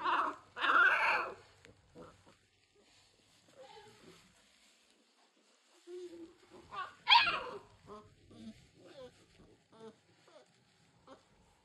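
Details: Young American Bully puppies, three weeks of age, from the 2022 King Clyde x Dynasty litter: two sharp, high whining yelps open, followed by scattered soft whimpers, another loud yelp near midway, and faint shuffling.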